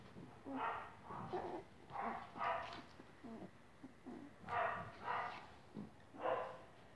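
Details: Twenty-five-day-old English Cocker Spaniel puppies calling indoors: short whiny yelps and whimpers recurring roughly every half second to second, with quieter low grunts between.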